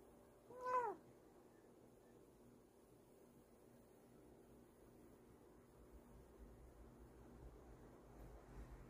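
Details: Kokoa, a Bengal cat, gives a single short meow near the start with a slightly falling, harmonic-rich tone, followed by several seconds of quiet low room hum.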